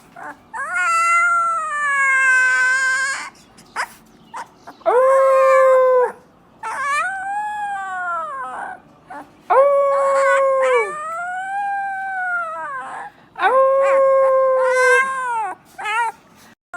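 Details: A Siberian Husky puppy howling for the first time gives a series of drawn-out, wavering howls, each lasting a second or two.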